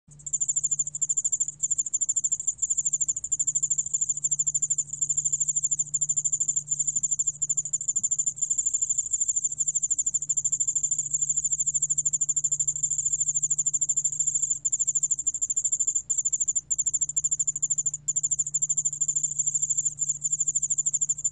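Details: Yeoul-allak-bangul-beolle cricket recorded in 2020 by Korea's National Institute of Biological Resources, giving a steady, very high, rapidly pulsed trill that runs unbroken for the whole stretch, with a faint low hum beneath.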